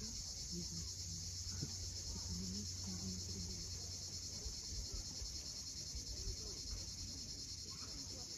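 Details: Crimean cicadas at sunset by the sea at Cape Fiolent: an unvarying, piercing buzz fills the background as waves murmur below and small birds give repeated short chirps in the lower range.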